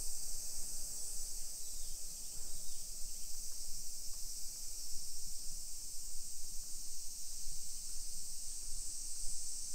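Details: Summer cicadas in a hillside residential neighbourhood of Nisshin, near Nagoya, Japan, at 1 PM on 28 July 2021; a steady, high, shrill drone hangs unbroken over the street, with low rumbling background noise beneath.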